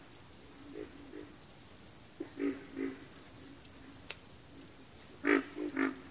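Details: Low, rough frog grunts in a backwater chorus, softer doubled notes early and a louder burst of three near the end, under a constant high-pitched insect chirring beating in fast regular clusters.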